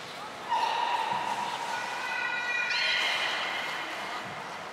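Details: Belugas Hodoi, Taanya and Mirai in pool transfer and training at Port of Nagoya Public Aquarium, 14 March 2021. A low steady whistle gives way to a rich, layered tone that jumps higher partway through, over background hall noise.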